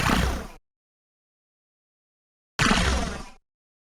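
Two deep, rough tiger growls, each under a second long and separated by silence.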